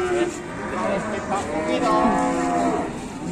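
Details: Raging cattle running loose, calmed by a handler, give drawn-out harmonic moos that rise and fall across the whole stretch. Several overlapping tonal bellows layer over a steady noisy background of people and movement.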